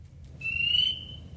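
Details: A male spring peeper on Long Island, climbed on a reed in a flooded bog in spring, inflates his vocal sac and gives a single piercing, high whistled peep rising slightly before fading, calling to attract a mate.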